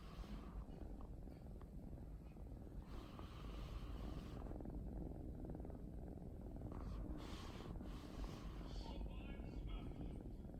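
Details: Purring of a female mixed-breed house cat napping on a beloved sofa one holiday afternoon, a continuous low pulsing rumble with faint soft clicks and rustles overhead.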